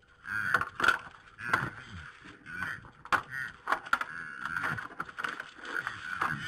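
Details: Red deer stags in a fight, Poland, evening of 3 November 2017 at 21:01: rapid low heaving grunts run almost continuously, broken by sharp clacking knocks, with a constant faint mechanical hum beneath.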